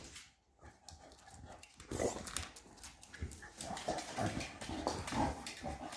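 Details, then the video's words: Shar pei named Eva playing wild: short harmonic growling and whining bursts from about two seconds on, mixed with scuffling thumps and rustling, some louder vocal bursts toward the end. "Shar pei Eva playing wild"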